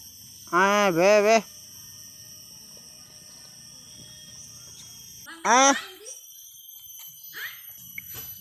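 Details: Farm sheep, four near and one farther off, given water to drink at noon: two loud quavering bleats, the first about a second long, the second shorter some four seconds later, over faint background hum and a distant bird chirp.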